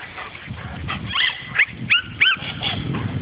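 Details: Dog meeting a wild boar for the first time, letting out a brief burst of sharp, high yips and yelps that sweep upward, four or five calls within about three seconds over a low background rumble.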